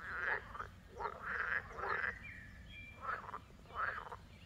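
A frog chorus of rasping, pulsed croaks, coming in quick bursts about once a second.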